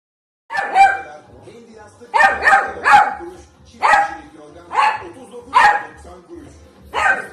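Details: Beagle puppy giving short barks roughly once a second, each a sharp burst with a ringing tone, in an irregular run of about seven over several seconds; no other clear sounds.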